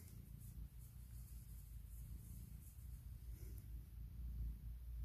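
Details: Puk, a female cat, purrs loudly in the morning while waking her owner and asking for cuddles and kisses; a steady deep rumbling throbs low and continuous throughout, with faint hiss above.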